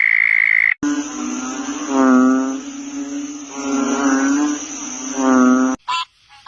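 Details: Frog producing low, droning, throaty croaks that swell and fade in long waves, with a thin constant high whine in the background.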